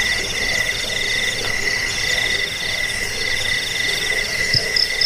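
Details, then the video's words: A jangkrik cricket chorus, played to drive off rats, help with sleep and tutor cage birds: dense, continuous high trills layered at several pitches, with a soft rustle and a faint low knock near the end. "Suara jangkik pengusir tikus pengantar tidur"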